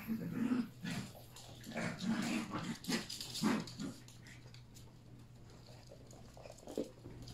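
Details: Three Yorkshire Terrier puppies playing together indoors with adult dogs; rapid low growling bursts in the first four seconds, then quieter, with a steady background hum.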